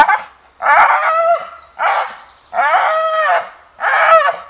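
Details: English Bull Terrier giving four drawn-out, harmonic, somewhat whining barks, each lasting under a second, spaced roughly one second apart against a quiet background.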